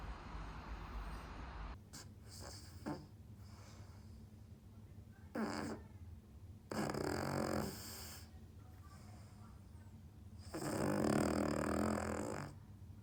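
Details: Sleeping Cavalier King Charles Spaniel with sleep apnoea, snoring in irregular rough, noisy bursts, some short and some drawn out over two seconds, separated by quieter breathing pauses.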